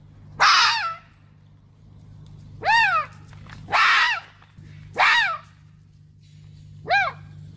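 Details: Red fox giving five loud harmonic calls, each arching up then falling, spaced one to two seconds apart, over a steady low hum in the background.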